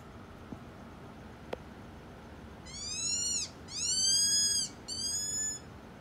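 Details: Cotton-top tamarin vocalizations: three high, thin whistled calls with strong harmonics, each arching and falling in pitch, the middle one longest at about a second, over faint background hiss.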